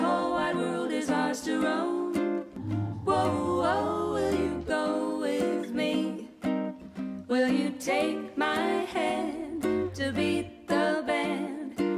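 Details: Strummed ukulele and guitar accompany a singing voice throughout, with no animal sounds.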